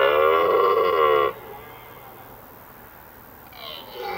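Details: Red deer stag bellowing during the autumn rut, which starts in mid-September, in forest on an evening; a single loud, rough, harmonic roar of just over a second, then a quiet forest background with a faint sound near the end.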